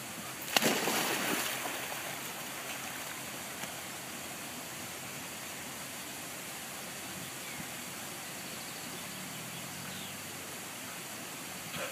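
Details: Water rushes and trickles steadily, with a sharp splash near the start, and no barking or other animal calls.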